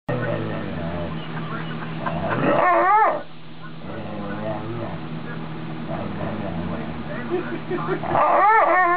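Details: Female wolf-dog, a wolf, Chow, Malamute and Husky mix, 'talking' while a person moves her mouth: wavering, rising-and-falling howl-like moans in two bursts. People talk and laugh throughout.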